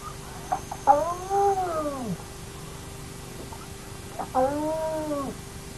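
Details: Naledi clan hyenas at an active den, caught on a remote camera: faint ticks lead into two bowed whines that rise and sag, separated by a quiet gap of about two seconds.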